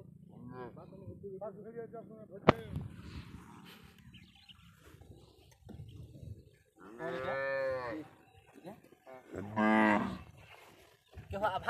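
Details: Cow smuggled across the Indian border, found on a Padma river char, gives two full, deep moos about two seconds apart, after scattered voices and a sharp knock.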